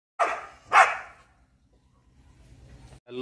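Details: Female pit bull terrier reacting wildly after seeing a monkey, giving two loud, sharp barks about half a second apart, followed by near silence and a brief faint sound at the end.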